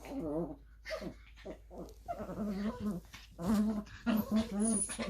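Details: Playing together, a nine-month-old Maltipom and a Lhasa Apso Chihuahua cross make odd warbling, moaning whines and throaty grumbles, wavering up and down in pitch, nearly continuous, with a brief high squeak near the end.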